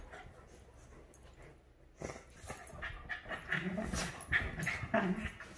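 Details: A Havanese and a Maltese, Clam and Bella, play-fighting over the couch. After two quiet seconds, rough growls and whimpering yips build in dense overlapping bursts, with faint speech underneath.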